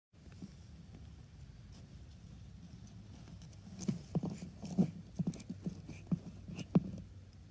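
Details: Male Russian tortoise named Huggy Bear mating with a female named Hutch in spring, giving short low squeaky grunts that come in quick bursts after a quiet start, with light tapping and shell-knocking sounds between them.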